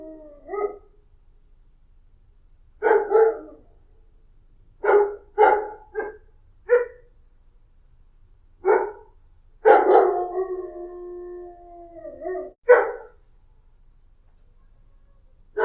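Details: Dog giving scattered barks over about sixteen seconds, single and paired, with one longer whining, howl-like note drawn out for nearly two seconds in the middle; otherwise quiet.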